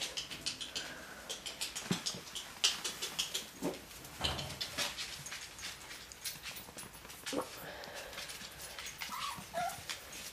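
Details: Dachshund puppies playing with a Lancashire Heeler puppy: a busy stream of short high whimpers and yips, with scuffling and clicking noises between them.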